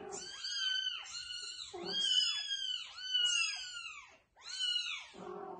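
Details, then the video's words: Loudly meowing kittens moved by their mother cat to a new spot: nearly continuous, overlapping high meows that rise and fall, repeated roughly every second, with a short pause near the end. "Mother cat carries loudly meowing kittens to a new place"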